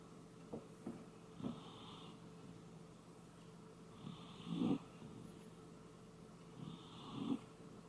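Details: Koume, a sleeping Shiba Inu snoring like an old man indoors: soft, rough snores and snorting breaths about every three seconds, louder on some breaths, in a quiet room.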